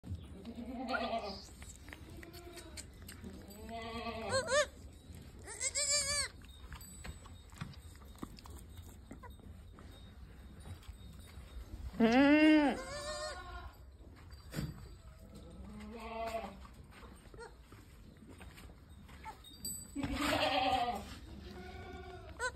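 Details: Totapuri goat, a doe with two kids, at a goat farm in Shankarganj, Jaunpur, Uttar Pradesh, India; several wavering, harmonic bleats spaced a few seconds apart, some louder and higher, over faint background noise.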